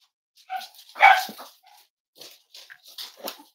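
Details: Cavalier King Charles Spaniel puppies snuggling indoors in a home raising emotional support animals, on a warm Friday morning; a string of short yips and whimpering squeals, one louder cry near the middle, then softer broken yelps.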